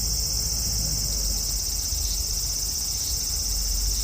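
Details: Front-yard cherry tree cicada, heard on a hot evening on 5 August 2012: a strong, sustained shrill drone at high pitch, steady from start to end, with a soft low rumble beneath.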